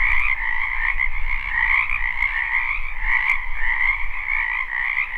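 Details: Live recording of a frog chorus in a wetland during spring. Countless overlapping trills merge into a continuous shimmering drone at two pitches. Faint low rumbling and a few sharp clicks sit in the background.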